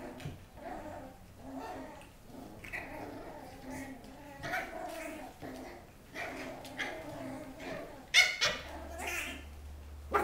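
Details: Two puppies and their mother playing on a rainy day, June 23: rough, growly bursts of play vocalizing every couple of seconds, a sharp yelp near the end, and a person's voice in the background.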